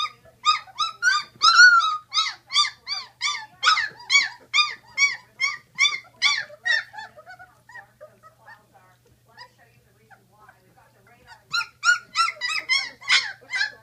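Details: A litter of Great Dane puppies, sixteen days old, whining in rapid repeated arched cries for several seconds, falling quiet to faint squeaks, then breaking into another loud burst of whines.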